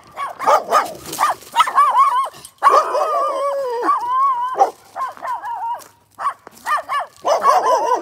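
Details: Dog vocalizing for a long spell: wavering, whine-like tones, with short bark-like bursts at the start and end and sustained, quavering howl-like notes in between, over roughly eight seconds.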